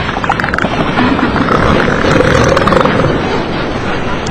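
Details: Southern elephant seals give loud, guttural, pulsing calls over a constant rough roar; in the September–October breeding season such threatening warning roars can carry 1–2 km.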